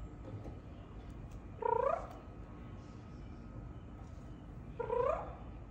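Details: Pet cat replying in its kroo kroo language while being spoken to, giving two brief upward-sweeping trilled chirps about three seconds apart over faint room hum.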